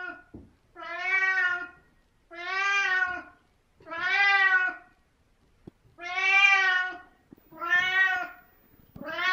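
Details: Seventeen-year-old house cat Merlin keeps talking indoors in the morning, giving a steady series of loud, rising-then-falling meows, about one every one and a half seconds, bright and harmonic with quiet gaps between.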